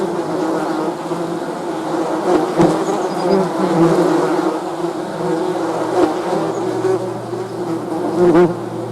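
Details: Honey bees humming in a continuous low buzz, overlapping wing tones weaving together, with a few sharp ticks and a brief louder swell near the end.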